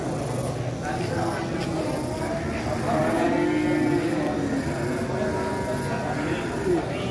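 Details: Lowing of a massive qurban cattle, around one ton, as it is unloaded from a truck; a sliding harmonic moo in the latter half over busy crowd voices and music.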